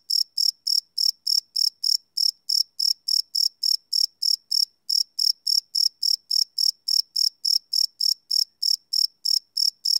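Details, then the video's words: Crickets at night, recorded live without loops on a Sony PCM D100 field recorder: clean, high-pitched chirps pulsing roughly three to four times per second in a steady train, with one brief pause near the middle and no other sounds. "Cricket Chirp Sound - Cricket Sounds at Night"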